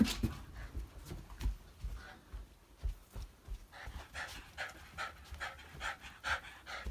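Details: A Shiba Inu panting after a bath, quick breathy huffs repeated about twice a second, growing steadier and louder toward the end, with some rustling and handling noise as it is dried indoors.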